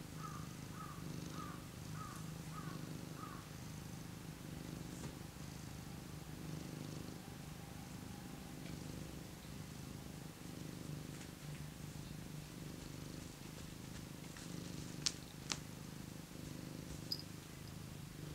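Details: Cat beside a heater giving a steady, low purr throughout, with a short series of five high chirps near the start and a few faint clicks later.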